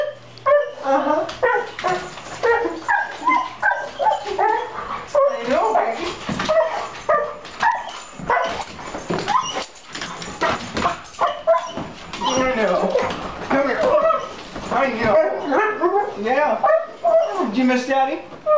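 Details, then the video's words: After six months apart, a dog weeps at its owner's return, a near-continuous stream of shrill, bending whines and yips, while a man keeps talking to it affectionately throughout. "Questo cane rivede il suo padrone dopo 6 mesi e piange come un bambino"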